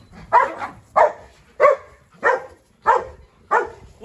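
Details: Dog barking during a scuffle among three dogs, a Presa Canario, a Rottweiler and a Staffordshire, with the Presa Canario going after the Rottweiler; six loud, deep barks follow one another about every 0.6 seconds.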